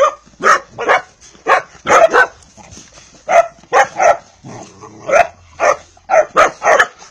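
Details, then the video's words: Vizsla puppy, a pedigree Hungarian dog, giving short sharp barks and yips in quick irregular bursts, some paired, with brief pauses between groups and a faint steady high hiss behind. "PUPPY DOG VIZSLA HUNGARY PEDIGREE"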